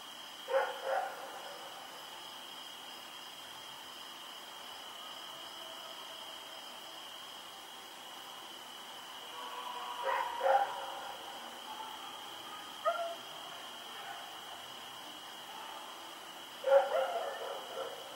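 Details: Rex, a dog, running around and barking at night on October 7, 2018 in Pyrga; three widely spaced, fairly faint bursts of barks separated by long quiet stretches, with a steady high-pitched hum running throughout.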